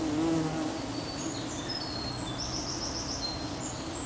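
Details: Buff-tailed bumblebee nest recorded on 4 July, with queen, workers, young queens and a male trying to mount a young queen; steady low droning hum from many bees, with brief higher whining buzzes of flying bees overhead.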